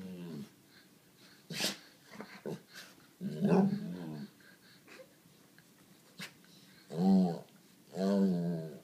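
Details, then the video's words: Indoors, the 7-year-old white Labrador Sadie complains for attention, urging a pug to play: scattered short grunts, then three long moaning whines near the end, each about a second, in a small room. "Sadie begging for attention"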